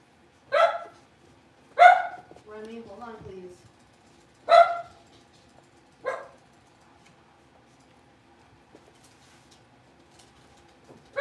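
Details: Blenheim Cavalier King Charles Spaniel puppy, one of a litter of five born on New Year's, in a larger pen; sharp, bright barks at uneven intervals of one to two seconds, with a brief lower vocal sound between them, then quiet.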